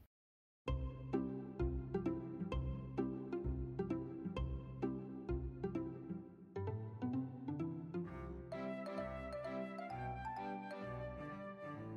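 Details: Cheerful children's-style instrumental music with plucked and bowed strings and a steady bouncing rhythm, starting after a short silence and growing brighter toward the end; no animal voice.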